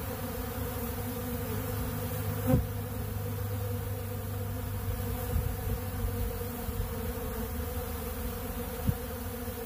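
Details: Honeybees gathered at a big blue pollen feeder eating ultra bee pollen: a thick, low, rumbling hum of countless wings, steady, broken by a few faint knocks.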